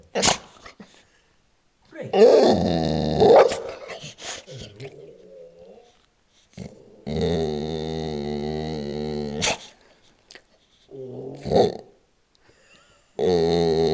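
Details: Bulldog-boxer mix being talkative, giving drawn-out whining, grumbling vocalizations in several bursts of one to two seconds with quiet gaps between, plus a few sharp clicks and a brief human voice.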